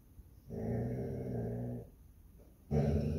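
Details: Guarding her home, a Basset Hound lets out one sustained, low, rumbling growl of over a second, then pauses briefly before starting another louder growl.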